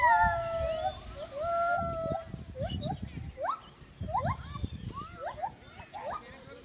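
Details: Gibbon singing sustained wavering tones that give way to short, sharply rising whoops repeated under a second apart, over low rumbling background sounds.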